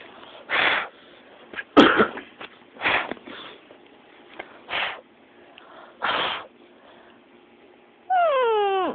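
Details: A puppy named Zues, indoors and upset by its owners, gives a string of short, breathy snorting bursts about a second apart. It ends with a loud, drawn-out whine that slides downward in pitch.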